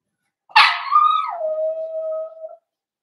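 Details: Blenheim Cavalier King Charles Spaniel puppy from a litter of five born at New Year's to Paris and Spike, in the Red Barn Cavaliers puppy pen. It gives one sharp yelp that drops into a long, steady, wavering howl lasting about two seconds.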